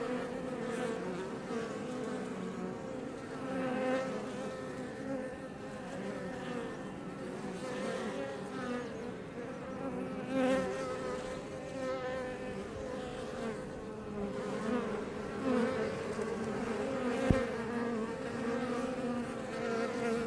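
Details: Iberian honey bees (Apis mellifera iberiensis) flying outside a Langstroth box hive near Roquetes and Els Ports, south Tarragona, Catalonia, Spain, recorded up close: a dense, steady swarm drone with overlapping wingbeat hums and brief louder fly-bys.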